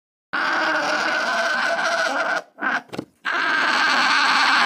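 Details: Alpaca (Vicugna pacos), call.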